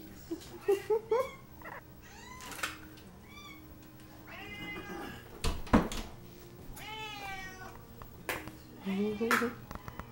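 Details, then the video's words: Several cats meowing in a chorus, with wavering, drawn-out and rising-falling mews overlapping one another. A person speaks quietly in the background, and there are occasional thumps. "Kitty Cat Chorus"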